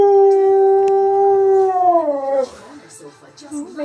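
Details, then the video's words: Siberian Husky named Keyush singing at random in a house, his cousin Ivy confused nearby: a long steady howl holding one pitch, then bending downward into wavering lower notes as the tone fades, with faint background sound. "Husky SHOCKS his Cousin When He TALKS!"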